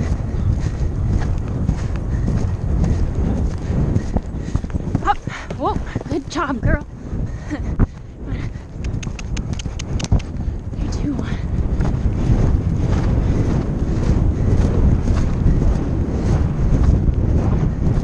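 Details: Percheron mare galloping on a Novice cross-country course at the Horse Park of New Jersey Horse Trials, recorded by a rider's helmet camera; steady low thudding hoofbeats under heavy wind rush, with the rider calling encouragement and commands midway.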